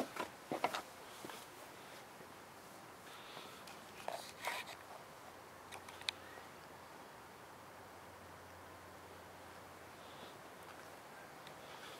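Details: Quiet room tone with a few soft knocks, faint whispered speech and scattered clicks, and no clear animal voice.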